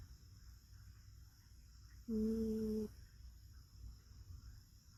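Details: Rescue cat asleep with its head on an arm, letting out one loud, drawn-out whistling snore, a steady tone with a clear higher overtone lasting nearly a second, then quiet breathing and room hum.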